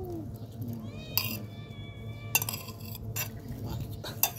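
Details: Hungry tabby cat and black cat meowing while being fed: a drawn-out, harmonic-rich meow holds steady for about a second, set against sharp clinks of dishes and a low background hum.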